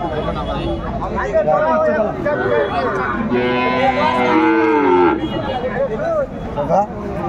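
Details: Sahiwal bull calves at a busy market in Chattogram, Bangladesh, on 13 December 2024: one drawn-out, harmonically rich moo of nearly two seconds rises mid-clip amid constant chatter and shouting from buyers.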